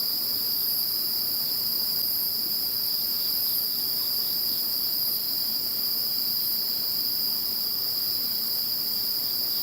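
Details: After Typhoon No. 21 moved away, many insects keep up a constant high-pitched trilling chorus, several steady ringing layers overlapping without a break, with faint low noise underneath.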